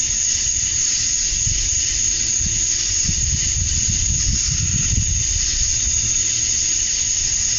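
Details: On a summer night at dusk in Georgia, USA, male cicadas call to draw in females, making a continuous shrill hissing whine without pause; a low rumbling sound swells in the middle of the recording.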